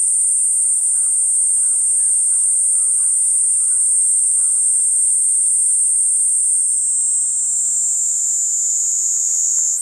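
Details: Loud, close Platypleura kuroiwae cicada giving a continuous piercing high buzz that dips slightly lower near the end; faint chirping bird notes sound softly behind it in the first half.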